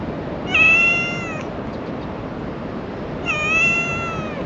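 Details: A female black cat with a tiny tail, a stray in Japan, meows asking for affection and cuddling: two drawn-out, harmonic-rich meows about a second long, spaced roughly three seconds apart, over a steady background hiss.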